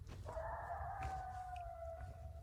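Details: A coyote, one of several coming out close by in the evening, gives a long, steady howl that rises slightly, then slowly sinks, over low rumbling background noise.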